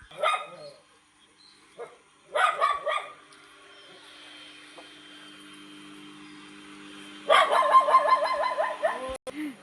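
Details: Barking from a Labrador Retriever on a morning walk: a lone bark, then a quick double bark, a pause with a faint steady hum, and finally a rapid run of sharp barks, with a person talking nearby.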